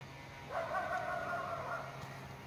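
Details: Coyote calling from the forest at night under the September full moon, 24 September: one drawn-out wavering tone that swoops up and then holds steady for more than a second over quiet background hiss.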